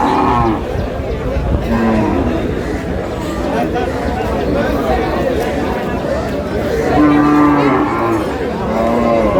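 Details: Bony cows for sale at Aftabganj market, Dinajpur, 9 August 2026. Several low moos come and go, the longest a steady, sustained lowing late in the recording, over continuous market voices and bargaining.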